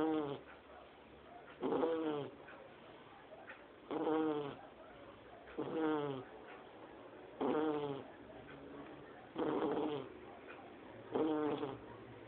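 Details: Sleeping Shar Pei puppy Lorena, only two months old, snores like a grown person; steady series of rasping, harmonic snores roughly every two seconds, each under a second, with soft breathing between.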